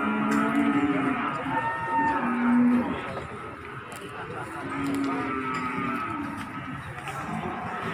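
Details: At Margorejo market in Pati, 13 May 2020, cattle are unloaded from a truck; short low moos come in quick succession early on, then another around the fifth second, over steady crowd murmur.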